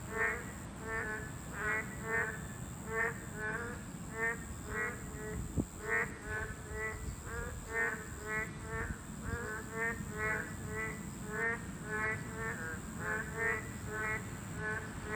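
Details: A chorus of boreal digging frogs at their breeding habitat, a Class 2 protected species. Many frogs give short, buzzy, harmonic croaks in rapid overlapping series, about two per second, with a constant high-pitched hum and low rumble behind them.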